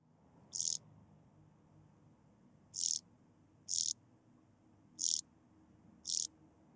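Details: Blue-winged grasshopper in Bernstein, Austria, on 2 August 2023: five brief, hissing, high-pitched bursts, each lasting under a quarter second, spaced irregularly one to two seconds apart, over a quiet, low background hum.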